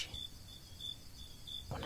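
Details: At night, several crickets sing a high, pure-toned trill in short, regular bursts about three times a second, over a low background rumble; the song cuts off abruptly near the end.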